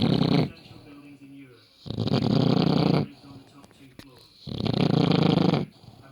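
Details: A sleeping rescue British bulldog snores extremely loudly indoors: three long, harsh, rasping snores of about a second each, separated by quiet gaps of one to two seconds.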